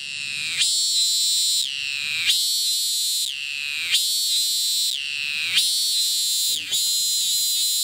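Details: Thai cicada filmed at a distance, resuming its call immediately after each landing despite flying away; loud, rich buzzing phrases about a second long, each starting high and sliding downward, separated by brief breaks roughly every 1.5 seconds.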